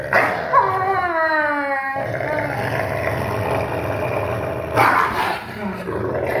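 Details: Father and son wolves, 44% and 56% wolf, growl-playing on 1 August 2018 as the father shows dominance; a strained, falling whine-snarl opens, followed by steady low growling and a sharp snapping burst.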